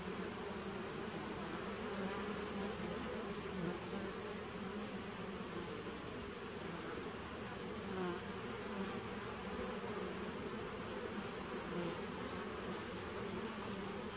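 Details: Continuous colony hum from honey bees in a nuc hive on 19 September 2018: an even, low, droning buzz that holds steady throughout, with a faint high whine overhead.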